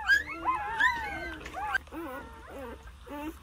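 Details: Two-day-old Jindo puppies, a litter of nine, with their mother caring for them; high squealing whimpers with curving, rising and falling tones, several short cries in a row, faint low hum beneath.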